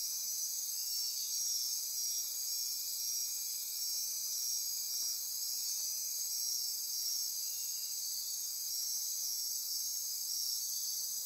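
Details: Night insects in Costa Rican rainforest near Corcovado National Park, Osa Peninsula, fill the air with continuous high trilling and buzzing in stacked layers, some bands pulsing rhythmically while others hold a steady hiss.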